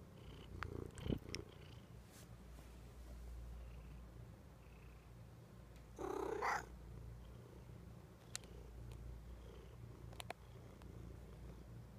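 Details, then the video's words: Sleepy pet kitty giving a single brief meow midway through, soft and short, against a steady low background hum with scattered faint clicks and taps. "My sleepy cute kitty meowing"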